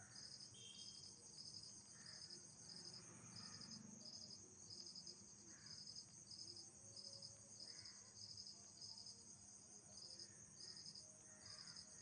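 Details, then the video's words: Insects at night give clustered high pulsed chirps about once a second over a constant piercing hum, with faint scattered mid-pitched sounds beneath. "Original Sound Effects by Nocturnal Insects"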